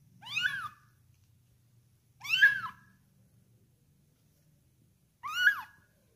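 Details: Kitten about one month old, indoors during feeding, gives three loud, clear meows that rise then fall, spaced about two to three seconds apart, over a low steady hum.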